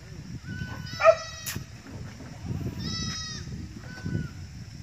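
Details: Goats belonging to a herd that has just started to increase give three separate bleats: a sharp short cry, then two longer, steady, nasal calls, over a low rumble of background noise.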